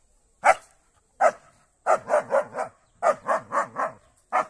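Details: German Shepherd barking while attacking a cow in a real fight: loud, harsh barks, single ones at first, then rapid bursts of three or four separated by short pauses.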